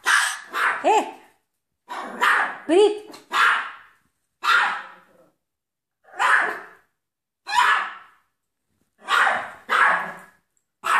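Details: Miniature poodle barking at home during efforts to get rid of a mouse, single sharp barks and short doubles spaced about one second apart, some with a whining rising tone, in a small room.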